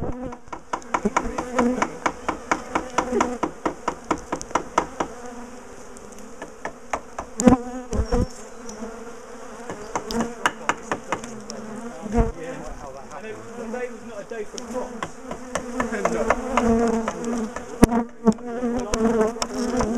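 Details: Honeybees of a large colony known for chasing people, buzzing as their top bar hive is taken apart and moved; a sustained droning hum with wavering tones under frequent sharp clicks and bangs from handling the hive.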